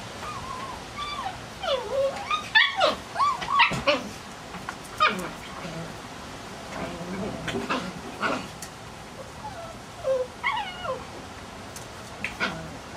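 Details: Seven-week-old puppies from a Kicsi x Sunny litter whimpering and yipping, a run of high, wavering squeals rising and falling, with scattered sharper yips and short bursts of activity throughout, some speech mixed in.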